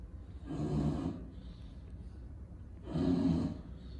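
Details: Two loud, throaty snorting breaths from a lilac English Bulldog in Miami, each lasting about half a second, with a short quiet gap between them.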